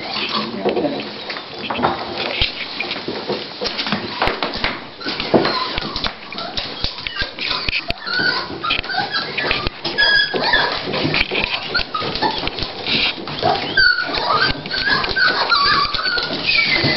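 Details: Dolly, a female Toy Pinscher at the start of giving birth, preparing to whelp her puppies indoors, gives repeated high, thin whimpers and squeaky whines, rising and falling in quick bursts, with occasional human speech and handling noise around her.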